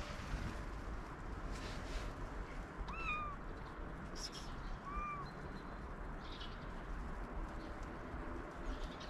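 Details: Hungry stray black and white cat with a fluffy tail, wary and hiding in a basement, recorded on a GoPro Hero 8; two short arched meows, rising then falling, near three and five seconds over steady low background rumble.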